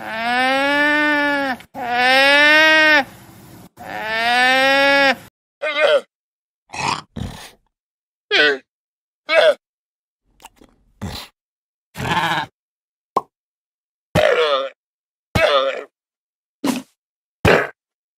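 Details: Llama calls: three long, strained, arching harmonic cries of about two seconds each, followed by a rapid string of short, clipped, nasal bursts roughly once a second, with silence between them.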